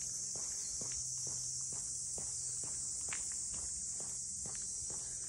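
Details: Cicada voices fill the air at Ine no Funaya north of Kyoto, a constant high sizzling tone, while footsteps fall roughly every half second and a low steady hum runs underneath.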